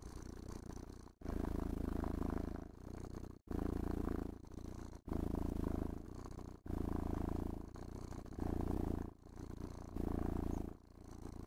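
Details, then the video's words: Purring house cat enjoying brushing and stroking, content and relaxed; steady low vibrating rumble swelling and fading with each breath roughly every one to two seconds, separated by short quiet breaks. "Муркітлива Розкіш: Котик Насолоджується Грумінгом та Пестощами"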